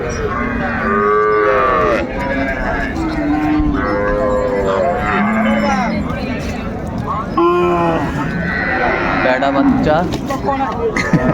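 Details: Cows with calves at Raniganj haat cattle market, Dinajpur, Bangladesh, on 30 May 2024: several overlapping drawn-out moos, some rising and falling, over a constant din of crowd chatter and voices.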